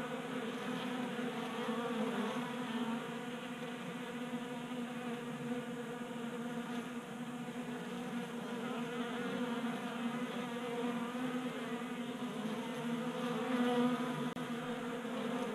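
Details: Many honey bees feeding at a 3D-printed tabletop feeder in a Colorado garage on a warm January day, a dense steady hum of overlapping wingbeat buzzes with layered tones, swelling slightly near the end.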